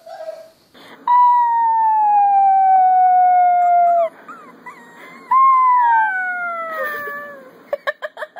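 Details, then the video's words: Puppy learning to howl holds a long, clear, steady tone that glides slowly downward for about three seconds. After a short break it gives a second falling howl, and then quick yips follow. "Puppies Learning to Howl"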